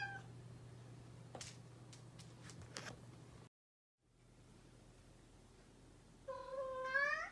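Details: Indoor house cat, described as mischievous, gives one clear wavering meow near the end after a stretch of quiet room tone with a few sharp clicks and a brief silent gap.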